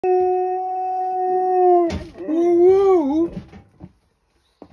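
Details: A female dog gives a long, steady, wolf-like howl that breaks into a wavering, bending second note, howling along with a passing fire truck's siren.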